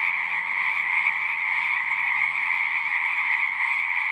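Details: Singing frogs fill the air with a continuous, layered chorus, a sustained high buzzing trill over a lower one, steady in loudness, with a soft low murmur beneath.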